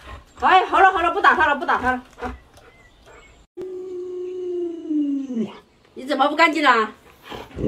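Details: Pet Alaskan Malamute named Luoluo, whose owner plays a mask prank on it, gives a single drawn-out howl that slowly sinks in pitch over about two seconds, with people talking before and after it.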